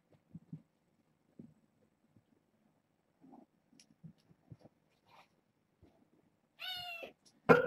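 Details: Kitten from a litter born August 29th to a family pet, heard one morning indoors. After soft shuffling and taps, a single clear, drawn-out, falling meow rises near the end, then a sharp loud bump.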